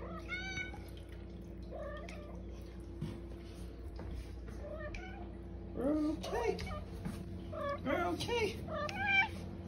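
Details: The OK Cat, a female pet cat known for meows that sound like "okay", gives several short rising-falling harmonic meows mixed with a person's voice saying "okay", over a steady low indoor hum.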